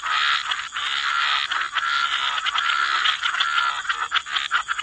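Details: Many frogs in a wetland croaking together, a loud, unbroken rasp of overlapping calls with flickering pulses and a constant high hiss underneath.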